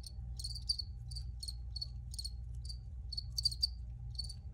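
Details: Recorded crickets giving brief pulsed chirps at an uneven pace, some doubled, roughly two per second, sharp and high-pitched above a constant low rumble in the background.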